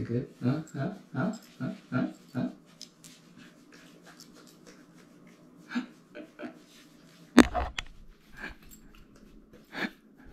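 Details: Totle, a black and white purebred male Cardigan Welsh Corgi born and raised in California, USA, enjoying a front and back rub: quick rhythmic panting, about eight breaths in under three seconds, then softer breathing, a sharp knock and laughter.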